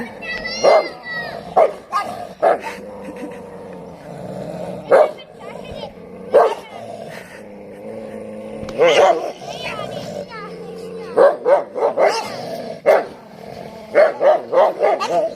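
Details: Fighting street dogs in the rainy season, giving sharp, isolated barks every second or two over continuous low snarling, then a rapid burst of barks and yelps in the final seconds.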